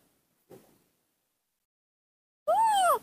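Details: Baby monkey Nomi, hand-reared at home, throwing a tantrum because she does not want to be hugged: a soft brief rustle, a pause, then one loud, arched, harmonic wail lasting about half a second, rising and falling, in a quiet room.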